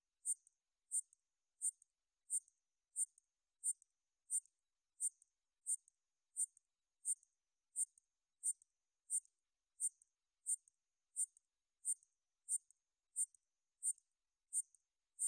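A katydid sings short, high, dry buzzy pulses, evenly repeated a little more than once a second.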